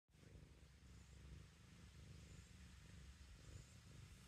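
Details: Black kitten, one of two brothers named Charlie and Toby, purring while kneading; a steady low rumbling purr fills the whole clip with a soft pulsing texture.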